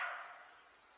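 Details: Roe deer. A roe deer gives one rough, dog-like bark that bursts out loudly and trails away within half a second. Faint high hiss lingers briefly after it.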